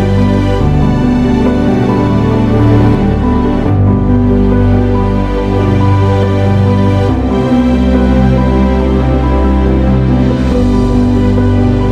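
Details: Loud, soft-toned background music with sustained chords plays without any audible animal sounds.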